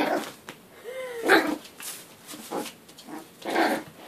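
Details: Yorkshire Terrier puppies, born in March 2013 and shown from birth to about ten weeks, at play: a thin rising whine, then three short, sharp yapping barks spaced about a second apart indoors.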